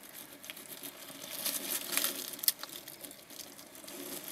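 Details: A small hedgehog eats dog food in a newly built hedgehog house in warm weather before hibernation. It makes rapid, uneven crunches and dry clicks, about two bursts a second, over a faint hiss.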